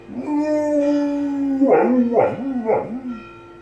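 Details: Pet dog howling along with ringing church bells next door: a long steady howl, then three wavering howl notes that dip and rise, with harmonic bell-like tones sustained underneath.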